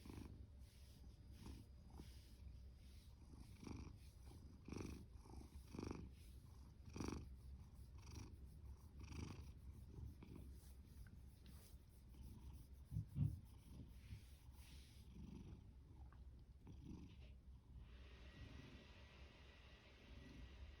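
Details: Loud, steady purring and snoring breaths from Fasu, a male orange tabby adopted from a cat shelter in July 2020, a low rhythmic rumble pulsing with each breath, quieter toward the end.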